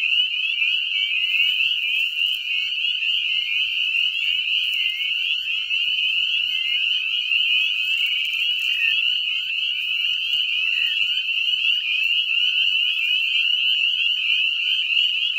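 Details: A dense breeding chorus of spring peepers (Pseudacris crucifer) in a septic lagoon, countless high, rising peeps overlapping into a continuous shrill ringing.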